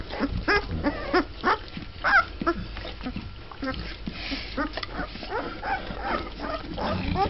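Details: Litter of Mastiff puppies, twelve days old and just beginning to walk, making a busy mix of whines, squeaks and grunting whimpers from several pups, some louder yelps standing out at intervals.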